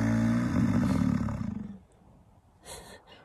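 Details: Rutting American bison in Yellowstone, a male corralling a female: a long, deep, pulsing roar lasting almost two seconds, followed by quiet and a short burst of noise.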